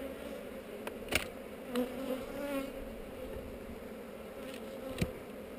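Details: Inspected hive of honey bees on heather, frames holding eggs, captured on a GoPro; a constant low buzzing drone runs beneath several sharp clicks and knocks from handling.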